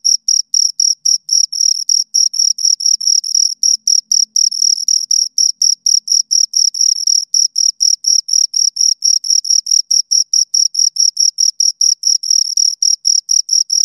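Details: Pair of crickets producing steady, shrill chirps in a fast unbroken train, each pulse bright and narrow-pitched, with a thin upper harmonic; quiet background otherwise.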